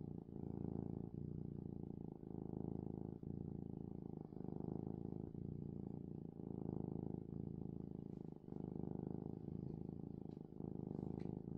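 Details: A happy male house cat purring loudly before bedtime, a steady low rumble pulsing in roughly one-second cycles with each breath, continuous throughout with no other clear sounds.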